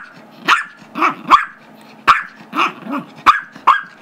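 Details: Gizmo, a five-year-old Chihuahua/Yorkie mix, barks while wanting the squeaky toy his younger brother Tigger, a two-year-old Yorkie, holds during indoor play; sharp high yappy barks in quick pairs and triplets, with growly undertones between them.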